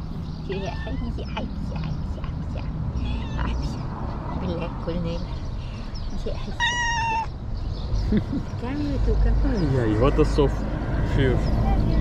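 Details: One of two very hungry cats meows while being given food, a clear rising-then-falling harmonic meow near the middle among shorter mews, over steady low traffic-like rumble, background voices and faint music.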